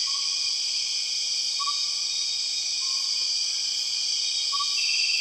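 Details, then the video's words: Borneo rainforest soundscape with empress cicadas, the largest and one of the loudest cicadas: an unbroken shrill buzzing chorus, and brief gliding whistle-like notes spaced roughly every one to three seconds. "The weird sound of empress cicadas"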